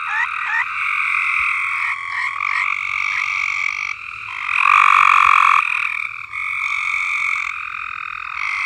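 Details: Chorusing frogs on a farm give continuous rolling trills at two stacked pitches. Short clicks open the clip, and a loud, bright trill surges up through the middle before the steady chorus resumes.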